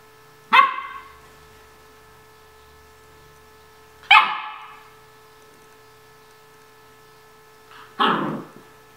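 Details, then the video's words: Nine-week-old Vizsla puppy named Kaylee barking during morning play at home, three sharp high barks spaced about three to four seconds apart in a quiet room. "Kaylee's Morning Play Time"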